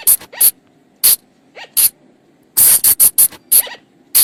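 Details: Flying lemur (บ่าง, also called พุงจง or พะจง) calls of the kind used to lure the animals at night: sharp, broadband squeaky bursts, some paired, with a few short falling tonal notes, spaced irregularly across four seconds.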